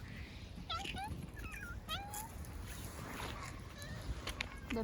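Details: Cat sitting on a person's lap during an outdoor walk, giving a run of short, rising meows close together early on, then a few fainter calls. A woman talks over it in Korean, with light background noise.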